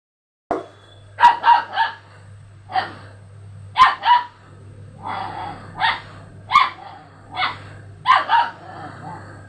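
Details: Several dogs reacting to a strange sound played before them: sharp barks come singly and in quick doubles and triples, spaced irregularly, over a faint steady low hum.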